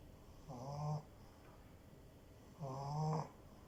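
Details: A cute French bulldog puppy snores twice, each a rough, low, nasal drone of about half a second, the second one louder and more rattling, with near silence between.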